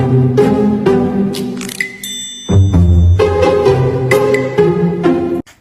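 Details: Upbeat music with chiming bell-like notes and a bass line, ending abruptly; no animal sound is heard.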